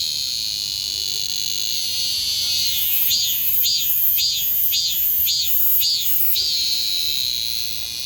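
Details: Cicada cry: a steady, high, hissing drone, with loud pulsed phrases breaking through about every half second between roughly three and six seconds before the drone settles again.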